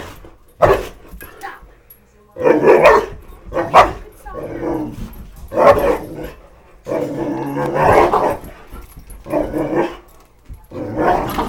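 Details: Two Boxer dogs chase the light of a flashlight, giving loud, short barks in bursts spaced about a second apart, sometimes in quick doubles, with children's voices mixed in between.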